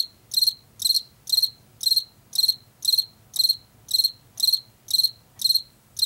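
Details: Chirping field cricket from Washington, typical of late summer and fall in fields and forest edges: bright high chirps built of a few quick pulses, spaced a little over half a second apart, against near silence.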